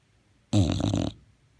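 An English Bulldog gives a single deep, rattling snore lasting about half a second.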